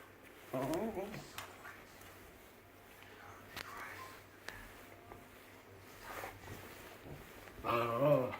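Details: Deaf dog trying to communicate, giving two drawn-out, wavering, howl-like whines indoors, one near the start and one at the end, with quiet room noise and faint clicks between them.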